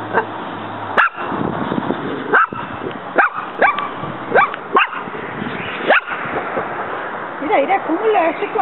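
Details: Muñeca, a pet dog, confronting a praying mantis in the yard as it fights back; half a dozen loud short barks a second or so apart, people talking in Spanish near the end.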